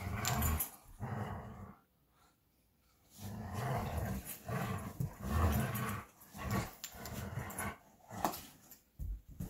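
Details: Two Belgian Malinois, Bullet and Apollo, growl while playing tug of war with a favorite toy. Several bursts of rough, low growling rise and fall in loudness, with a longer quiet spell near the start and play noises between.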